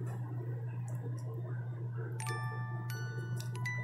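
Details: Ringing glockenspiel-like chimes enter midway over a constant low hum, without any animal voice.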